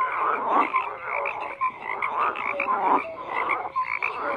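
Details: Many frogs croak together, rough pulsing bursts and a few sharp tonal notes overlapping continuously, the chorus swelling and ebbing every second or so, nothing else clearly audible.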